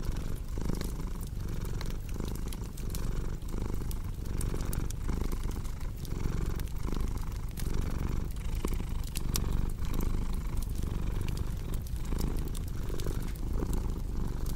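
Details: Cat's continuous purr as a soft low throb that swells in regular breath-paced pulses, partly blended with steady fire crackling and popping.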